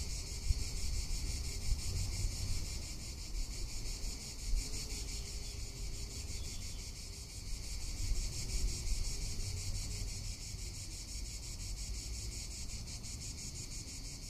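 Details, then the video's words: Cicadas in a Tuscan summer give a continuous high, hissing buzz that pulses rapidly and steadily throughout, with low wind rumble and gusts underneath. "Cicada or Cigarra - Sounds of summer in Tuscany"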